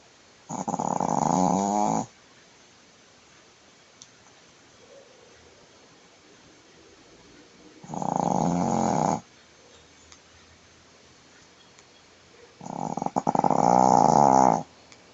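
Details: Shih Tzu, a female pet dog sleeping on her back indoors and snoring heavily; three loud, rough, buzzing snores, each about one and a half seconds long, separated by quiet pauses of several seconds.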